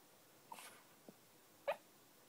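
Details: Phil, a dog that rarely barks, letting out muffled yips while dreaming in his sleep: a soft huff, a faint tick, then one sharper short woof, in a quiet room.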